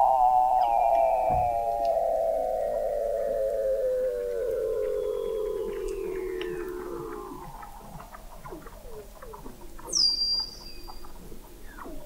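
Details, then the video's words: Weddell seals recorded in November 2017 at the McMurdo Oceanographic Observatory, 21 m below the sea ice in McMurdo Sound, Antarctica: a strong warbling trill that sinks steadily in pitch for about seven seconds, then softer chirps and a brief high whistle. "Song of the Antarctic Weddell Seal"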